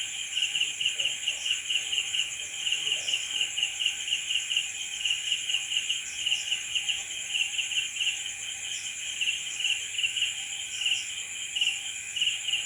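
Crickets give a steady, high, pulsing trill that runs on without a break through the night.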